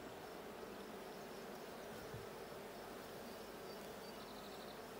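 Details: Steady colony drone from a blue beehive, recorded during a hive check on 6/20/22: a thick, even buzz with no pauses and a brief soft click partway through.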